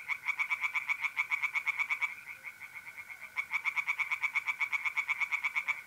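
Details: Tree frogs singing in a pond on an April night in north-eastern Italy: fast, evenly pulsed croaking in long runs with a short lull midway, over a steady, high mole cricket trill.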